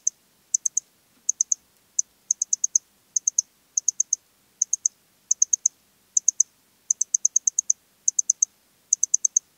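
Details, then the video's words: Song of the Eastern Stripe-headed Cricket, Puntigam, Austria, 10 June 2022: bright, high-pitched chirps of three to five quick pulses, some run together into longer bursts, repeating evenly about every 0.6 seconds in clean silence. "Modicogryllus frontalis -- Östliche Grille -- Eastern Stripe-headed Cricket"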